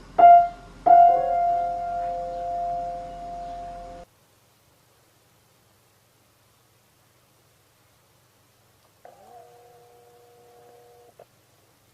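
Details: Two struck piano notes ring out and fade, then comes a long silence and a soft, brief sustained keyboard tone near the end.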